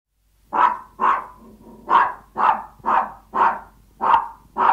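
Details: Yorkshire Toy Terrier barking from hunger while begging its owner for food: a run of eight sharp, high yaps about half a second apart, slightly irregular, with a soft whine between some barks.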